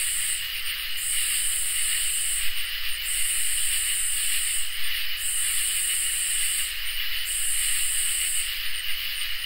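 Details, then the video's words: Summer night chorus of crickets and katydids: a constant high trill overlaid by very high hissing bursts roughly a second and a half long, repeating about every two seconds over a faint low rumble. "Crickets and Katydids in Summer | Ambient Night Chorus"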